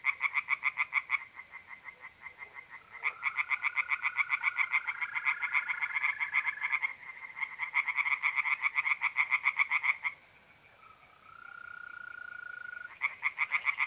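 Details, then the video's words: Singing tree frogs in a north-east Italian pond on a mid-April night. Several bouts of fast, rattling pulse trains are separated by short pauses. A thin, steady mole cricket trill shows through whenever the frogs stop. "relaxing singing tree frogs in pond and trilling mole crickets by night"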